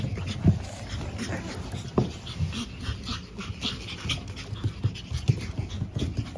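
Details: Five pug puppy siblings born April 17, nearly ready for new homes, make low snuffling, snorting grunts in uneven bursts, with louder snorts at intervals and faint rustling indoors.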